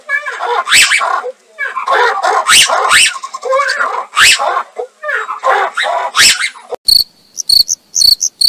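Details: Ruffed lemur, a Madagascar endemic, uttering rough, wavering barks and wails in clusters with short gaps for about six seconds, then giving way to a fast run of high, sharp metallic ticking pulses.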